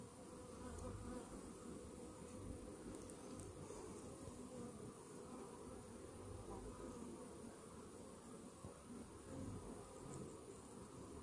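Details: Honey bees inside a hive infested with Varroa mites, half an hour after a morning mite treatment; a steady, low, droning hum with layered tones runs through the whole recording, with no other clear sounds.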